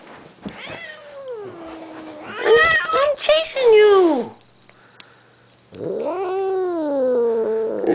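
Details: Blind cat yowling while a person chases her and talks to her: long wailing calls that rise and then slide down, a cluster of harsher loud cries, a pause, then another sustained arching wail.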